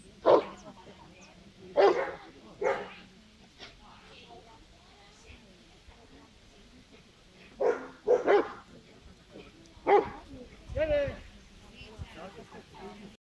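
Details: A Rottweiler gives deep, gruff barks in short bursts during a protection-trial sleeve attack at a national dog show, with people talking in the background.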